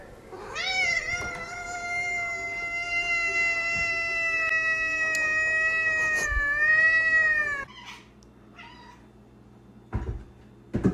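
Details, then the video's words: A domestic cat playing in snow gives one long, squeaky, toy-like cry. It is high and steady, holds for about seven seconds with a slight waver, and breaks off. A few short knocks and rustles follow in a quiet background. "Cats LOVE Snow! Hear Their Squeaky Toy Sounds!"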